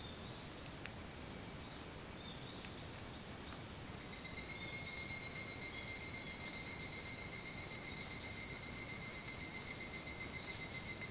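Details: Higurashi, the evening cicada, on Hitotsubashi University grounds in Kunitachi, Tokyo, at 4:30 a.m., 28 July 2011. A quiet stretch with a steady high hiss and faint chirps, then at about four seconds a bright, fast-pulsing metallic trill starts and holds steadily.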